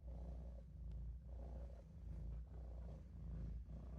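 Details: Deep, even purring from Olof, a Maine Coon kitten dozing in a sink, pulsing in regular inhale-exhale cycles about once every second.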